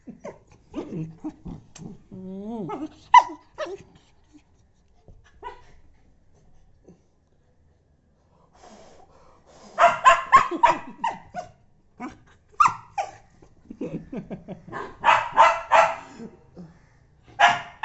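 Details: Domestic dog protesting as its tail is blown on, starting with rising whiny yelps and grumbles, a lull, then a long volley of rapid, harsh barks and yips.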